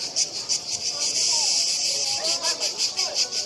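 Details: Cicadas in Split making a big racket: a dense, steady buzz high in pitch, pulsing about three times a second, with faint sliding tones and a human voice speaking underneath.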